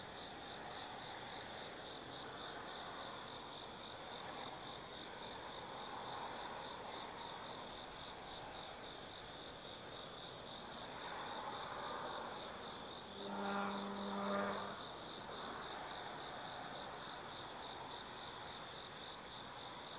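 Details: Autumn night insect chorus at Tsukimi no Mori in Kaizu, Gifu Prefecture, Japan, overlooking the Nobi Plain: continuous high shrill trilling, with a brief low harmonic tone partway through and distant soft rumble.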